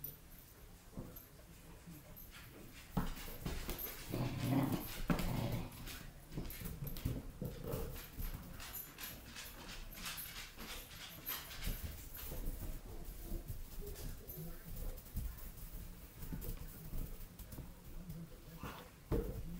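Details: Weimaraner x German Shorthaired Pointer puppy playing with a balloon indoors, giving a short low whimpering growl near the middle, surrounded by thumps, scuffles and rustling from the play in a small room.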